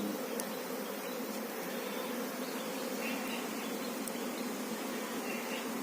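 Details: Honey bees swarm over a managed hive on a bee farm where a queen bee is shown: a dense, steady low hum of many wings, unbroken throughout, with a few faint clicks.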